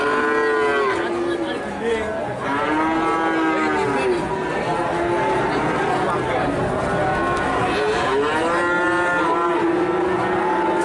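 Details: A herd of cattle mooing almost continuously: overlapping deep, harmonic calls, several arching upward and falling back, with one animal after another joining in and little else audible.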